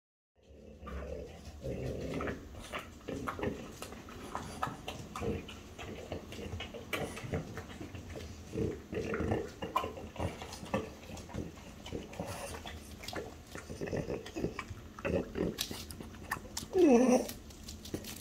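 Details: French Bulldogs, mother Ume aged five and daughter Roku aged four, being offered chicken breast: low snuffling grunts and snorts run throughout, closing with a short, high, wavering whine near the end.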